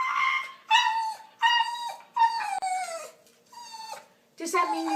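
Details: Dog making the funny, talking-like noises of a compilation where dogs seem to say "I love you": a run of five or six drawn-out tonal whines that slide and waver in pitch, some bending downward at the ends, with brief gaps between.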